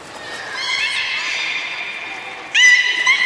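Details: A beluga at Nagoya Port Aquarium, 16 March 2019, during playtime after a feeding session, gives a long, nasal, harmonic squeal that ends in a sudden louder, brighter burst.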